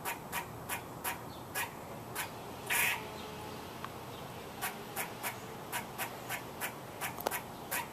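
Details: Squirrel calling: short, sharp, broadband chucks repeated roughly every half second, with one longer harsh burst near the three-second mark and a brief pause before the regular series resumes, over a steady hiss.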